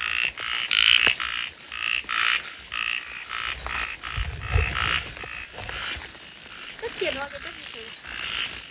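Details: Two small frogs call unseen from cover with small voices: sharp, high-pitched buzzy notes in short bursts about every second, each with a lower pulsed tone. A brief human voice cuts in near the end.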